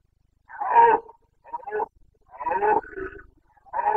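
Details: Red deer stag of the Carpathians bellowing during the late-September 2022 breeding season in Bucovina: a series of rough, throaty roars, the first loudest, followed by shorter grunting bursts and another roar, in an otherwise quiet setting.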